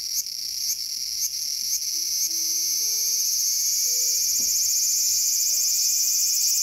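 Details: Cicada calling in a small garden on August 5, 2020: a loud, steady high-pitched buzzing drone that pulses about four times in the first two seconds, then runs unbroken, with faint low tonal notes sliding beneath.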